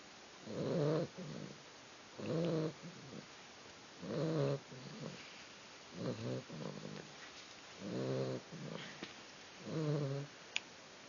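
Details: Young female puppy asleep and snoring: six throaty, vibrating rasps spaced about every one and a half to two seconds, with a small click near the end.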